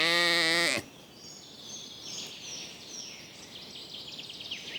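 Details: Lambs grazing in a cool green forest: one loud, wavering bleat under a second long opens, followed by high twittering birdsong in the woodland background.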